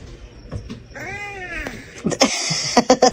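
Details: Domestic cat meowing: one drawn-out harmonic meow rising then falling over about a second, followed by clattering knocks and bumps.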